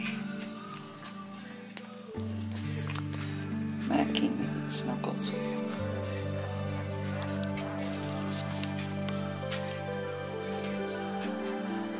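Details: Steady instrumental music with some speech, sustained low tones and tonal layers throughout, and no clear animal sound.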